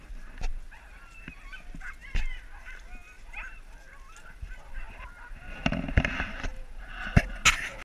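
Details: Sled huskies resting during a husky safari in Lapland, Finland, give faint, wavering whines and yelps that rise and fall. Sharp clicks and rustling run throughout, with a louder burst of movement and noise near the end.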